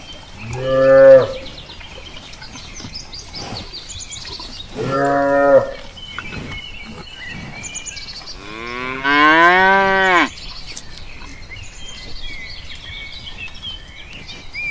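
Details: Cow on a farm mooing three times, each deep, drawn-out low moo lasting about a second, the last one longer with a rising then falling pitch; small birds chirp faintly in the background throughout.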